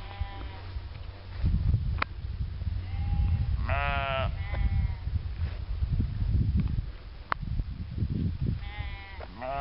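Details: Sheep bleating: a few loud, wavering, nasal bleats with strong stacked harmonics, one near the middle and a pair near the end, over steady low rumbling background noise and soft thuds.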